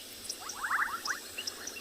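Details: A bubbling kassina gives a quick run of liquid, bubbly pops amid the faint high ticking of painted reed frogs at a dam on a summer afternoon in a South African game reserve.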